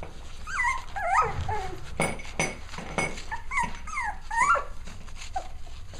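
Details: Six-week-old puppies at playtime, giving high, bending whimpers and short yelps that rise and fall in quick bursts, with scuffling thumps between the cries.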